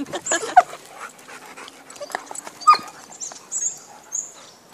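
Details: Kiama, a chocolate Labrador, playing with another dog at a dog park: scattered short yips and whimpering squeals at irregular intervals, with a faint human voice and outdoor background noise.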